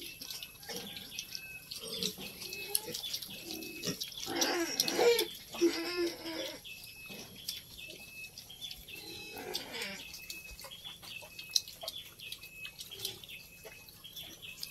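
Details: Native pig weanlings being readied for castration: harsh, broadband squeals burst out around four to six seconds and again near ten seconds, while thin, high chirps repeat steadily in the background throughout.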